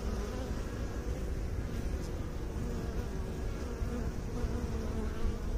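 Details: A continuous low hum of many bees from a beekeeping setting, thick and unbroken, with a steady drone and a soft overtone above it, holding an even loudness across about five seconds.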